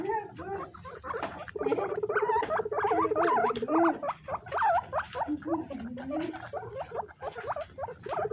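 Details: Pet guinea pigs compete over banana pieces. A low, steady buzzy rumble runs beneath dense, rising and falling squeals that repeat about once a second, and a few short chirps follow.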